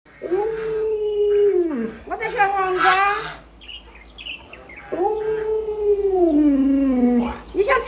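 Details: Pet Alaskan Malamute indoors, howling while food such as chicken is being prepared. Two long moaning howls, each starting level and then sagging lower, are separated by a person's speech and rustling sounds.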